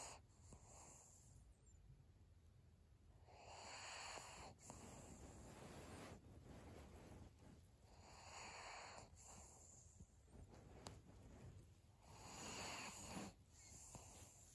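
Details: Sleeping senior pug Maria, 7 February 2022: faint, airy snuffling breaths return roughly every four seconds, soft hissy wheezes rising and falling against a quiet room background.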